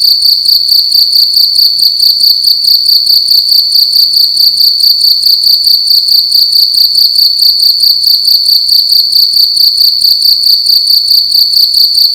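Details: A cricket sounding loudly in a room at night, high and metallic, rapid pulses running together in an unbroken steady trill, nothing else audible.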